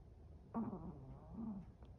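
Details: One drawn-out snore from a sleeping Chihuahua, a nasal rumbling breath with a faint whistled edge that swells, dips and rises again over about a second and a half in a quiet room.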